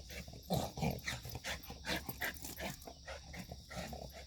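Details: White Shiba Inu, full of energy, recorded 9 September 2024, making a run of short, rough growling and grumbling vocal bursts in quick succession, with a steady high insect hum in the background.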